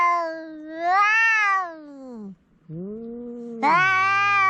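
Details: House cats in a standoff trade long moaning yowls, a swelling wail dropping into a low growl-like tone, a brief pause, then a renewed harsh, loud cry.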